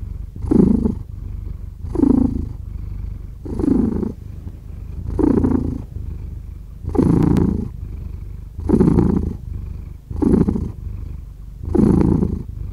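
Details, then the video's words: Cat purr with clear, regular breathing cycles: a deep continuous rumble rising into louder buzzy surges roughly every 1.5 seconds, about eight surges in all, recorded close up in a quiet room. "5 Hours of Cat Purring"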